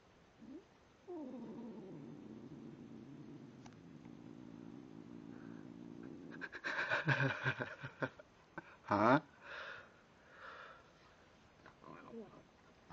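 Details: Tim, a house cat, grumbling as he eats: a long low drawn-out growl lasting about five seconds, followed by crunchy chewing and clicking sounds and a brief short rising cry near the end.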